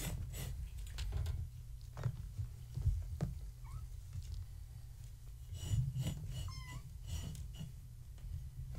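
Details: Gaia's kittens, born March 14, 2017, indoors at bedtime with their mother, a floofy tabby; a couple of short, high, bending mews rise above a steady low hum, with shuffling and a soft voice nearby.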